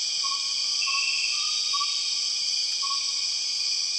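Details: Empress cicadas calling in Borneo's rainforest: a constant high, layered electric hiss without pause, while soft whistled notes sound in a loose series during the first two seconds and again near the end.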